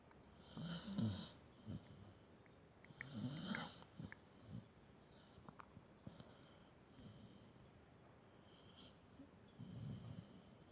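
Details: Domestic dog snoring in a quiet room, deep throaty rumbles alternating with breathy exhales, roughly two dozen snores a minute, some louder, others soft and wheezy.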